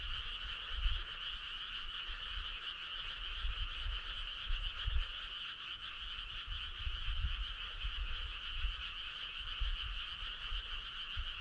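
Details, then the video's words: Summer-night frog chorus, unbroken and even, with many callers merging into a constant high trilling drone and only faint low thumps beneath. "Cool frog sound"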